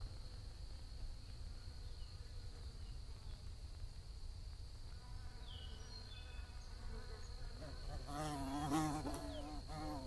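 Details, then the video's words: Bees buzzing under a blue sky: a soft, low background hum that swells near the end into a louder, wavering buzz as a bee passes close. A faint steady high whine runs throughout, with low rumble underneath. "Bees Buzzing Sounds"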